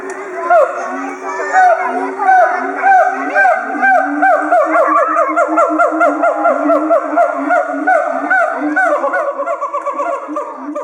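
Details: Throat sacs inflated, a siamang pair at Chiba Zoological Park calls in unison on 18 October 2013 to threaten intruders. A sustained, dense series of rhythmic honking whoops repeats rapidly throughout, over a background of schoolchildren's voices.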